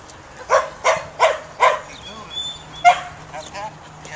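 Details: Four evenly spaced loud barks from a Samoyed herding dog being tested for herding instinct, followed by a quieter pause, one more bark and soft whining, wavering tones.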